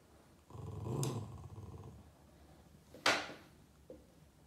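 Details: Indoor Boston Terrier Yoda growling at shadows he chases on the wall, upset: one sustained low growl of about a second and a half, followed by a sharp bright snort or huff and a small click.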